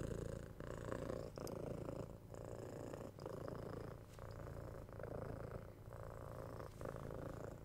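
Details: Soft, low purr from a pet cat, a rhythmic rumble pulsing with its breathing and pausing briefly about every second, quiet and steady throughout.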